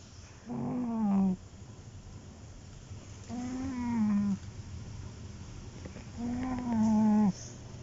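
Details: Sleeping mother cat snoring: three nasal, tonal breaths about a second long, each dipping slightly in pitch at the end, repeating roughly every three seconds with soft hiss between.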